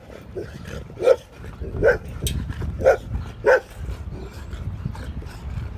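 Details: Dog barking outdoors at Rizzo, a dog walking past: four sharp, loud barks about a second apart in the first four seconds, then quieter, over a steady low rumble of wind and movement noise.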